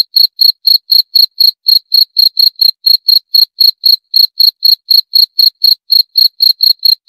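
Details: A cricket sings an unbroken run of brief, clear, high chirps, roughly four each second in a steady rhythm, against complete quiet.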